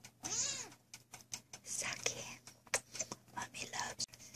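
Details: A Sphynx kitten gives high, thin meows that rise and fall, seemingly meowing back "I love you too" as a woman talks softly over them, saying she loves it.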